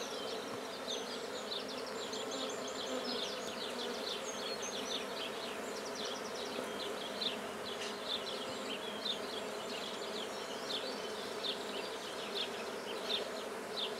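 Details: Black honeybees starting a hive at Guernay in Côtes-du-Nord, France, give a constant deep humming buzz for fourteen seconds, overlaid by lively chattering and trilling birdsong.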